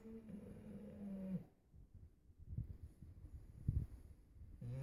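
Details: Dog snoring: one drawn-out, low droning snore with a steady nasal hum lasting about a second and a half, then soft rumbling breaths and the start of another snore.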